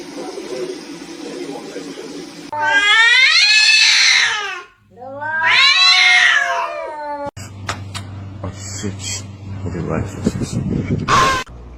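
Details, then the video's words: Kitten giving two long, drawn-out meows, each about two seconds, rich in harmonics and swelling then dropping in pitch, with a short gap between. Afterwards come people talking, clatter and household noise. "kitten meowing call"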